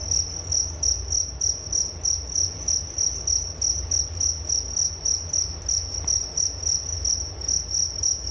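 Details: Crickets as a calming sleep sound, a sharp high chirp repeated in short, regular bursts roughly three to four times a second, with a faint low background rumble.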